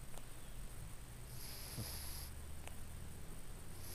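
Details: An older, very sleepy female Cornish Rex cat with respiratory issues snores softly, breathing in through her nose and out through her mouth: a low rumbling breath with a faint hiss.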